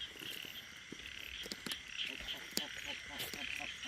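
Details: Frogs croak together on a rainy day near Korat, Thailand, while small frogs (locally called khiat i-mo or khiat kha lam) and big frogs are being caught. The calls are rapid and overlapping, with patter of rain.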